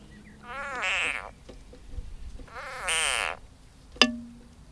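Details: An edible frog (Pelophylax kl. esculentus) being swallowed by a grass snake (Natrix natrix) gives two loud, wavering, nasal cries, each lasting under a second.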